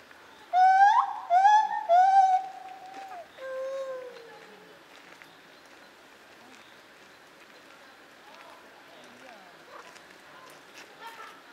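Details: Lar gibbon, also called white-handed gibbon, at Zoo Opole in 2015: three loud rising hoots in quick succession, each swooping up then leveling, followed by a softer falling hoot, then quiet background hiss.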